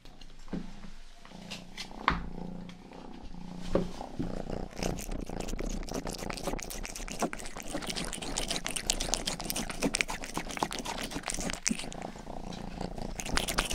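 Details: Rang-i, the youngest pet cat of a household, purring and licking ears indoors for an ASMR recording: a low, steady rumbling purr opens, then dense wet licking clicks and smacks build up and run continuously over the purr.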